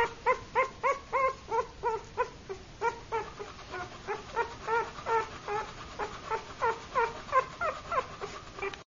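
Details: Brindle female Boxer puppy whimpering: a steady series of short, tonal whines with bright harmonics, repeated about three times per second, some rising and some falling in pitch, with no other clear sounds.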